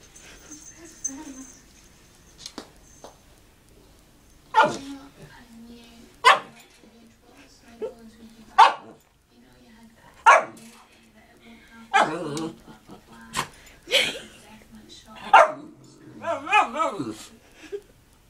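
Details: Shih Tzu dog barking at the household parrot: sharp single barks spaced roughly every one to two seconds, with a steady low hum, a couple of brief wavering whines and a person's voice.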